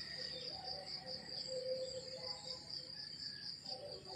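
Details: Morning countryside crickets give a continuous high, fast-pulsed chirping, evenly sustained, over softer lower wavering tones in the background.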